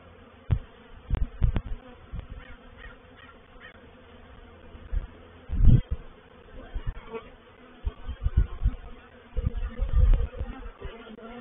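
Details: Honey bees of a reproductive swarm entering a swarm trap at Painted Peacock Manor on 04/07/21. A droning low buzz broken by irregular deep, booming pulses that come and go across the recording.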